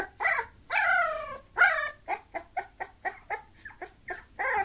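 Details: Whimpering Bulloxer mixed-breed dog: a few drawn-out, wavering whines followed by a string of short, evenly spaced yelps, ending on another longer whine.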